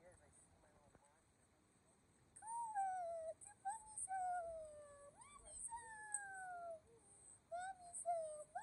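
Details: Two pet dogs, Kumo the Keeshond and Sully the Boston Terrier, welcome their owners back from vacation. Long, gliding, mostly descending whines repeat over several seconds above a steady high hiss.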